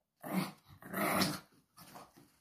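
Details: Pug indoors in a small room, playing and refusing to give back a slipper, rumbling out three low, rough growls of rising and falling force, the middle one longest.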